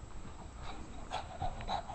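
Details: Louie, a pet Shih Tzu doing tricks indoors to win his tennis ball, gives three short, thin whines about every third of a second over soft panting and breathing, with his owner urging him to roll over.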